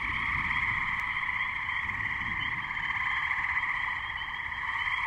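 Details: Dense chorus of gray treefrogs (Hyla versicolor) in May 2010, with a thunderstorm approaching, overlapping musical trills forming a buzzing wall of sound, with spring peepers calling in the background.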